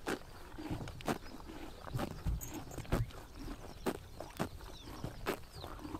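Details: Horses biting grass in the morning sun during summer in Mongolia; sharp, crisp tearing crunches come every half second to second, some louder and closer, over a soft outdoor background with faint high chirps.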